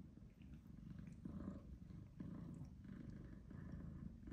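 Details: Soft, throaty purr rising and falling in short waves about every second, heard as Tom, an older black-and-white domestic shorthair tom, deals out tough love to the British Shorthair kitten Charlie.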